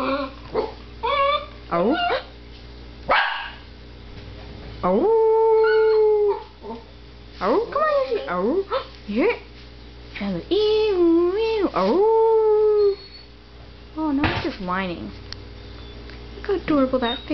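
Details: A male Papillon dog howls along to passing ambulance sirens, giving long, wavering, wolf-like tones that rise and fall, with a woman talking between them.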